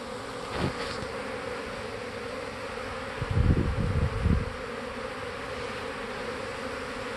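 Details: Honey bees swarming around a hive, practicing swarming: a steady low droning hum, with louder buzzy passes as individual bees fly close past, one early and a burst in the middle.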